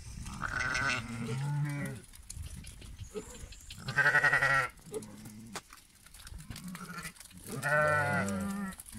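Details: Lambs bleating in three wavering, quavering bursts about two seconds apart, each cry rich in harmonics and trembling in pitch, with quieter low grunting bleats between them.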